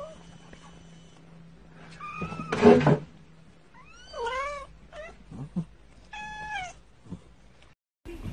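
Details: Cat from a 2019 compilation of funny cat clips, giving several wavering meows and a caterwauling cry, each around a second long, mixed with a thump, a low hum and brief human speech.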